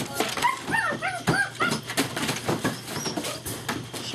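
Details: German Shepherd puppies running and playing together, recorded 5 February 2012: several short, high, bending whimpers and yips in the first two seconds over scuffling and rustling, with people talking in the background.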